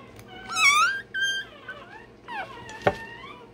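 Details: Day-old Rottweiler puppy having its tail and dewclaws done: two loud, high, harmonic squealing cries, then fainter rising whines and a sharp click near the end. Low room noise throughout.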